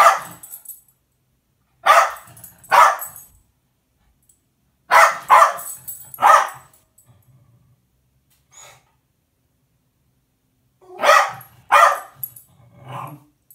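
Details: Pet Jack Russell Terrier telling on the cat indoors: clusters of two or three loud sharp barks with pauses between, ending in a pair of barks and a softer yap.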